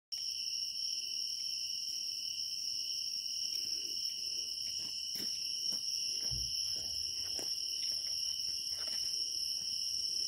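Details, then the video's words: A steady, high-pitched drone of grass insects trilling continuously in early autumn in Naju, Korea. "초가을 나주 풀벌레 소리"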